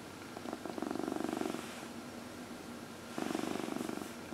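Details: Cat purring under a massage, one of four pet cats; two clear pulsed purr phrases separated by a quiet inhale gap, fast even vibration, low steady hum in the room.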